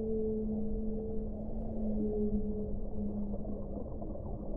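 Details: Whale song with two long, steady, low humming tones running in parallel, breaking briefly and resuming over a constant background of deep underwater rumble.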